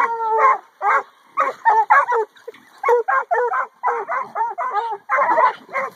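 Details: Catahoula pup Rooty and black and tan Coonhound Shelby, both eight months old, penned with pigs in the afternoon; quick overlapping barks and yips with a brief howled tone, dense and excited throughout.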